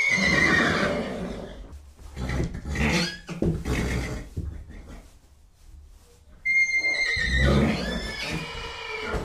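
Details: Horse sounds: a rough, rattling neigh, breathy snorts and blowing, then a second whinny opening with a clear high whistled tone before turning harsh.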